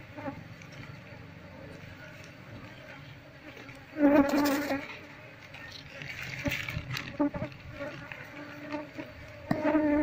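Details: Wild Asian honey bee colony being moved into a hive box while combs are scraped out one by one to find the queen; a steady low hum of many bees runs throughout, with a man talking and scraping bursts.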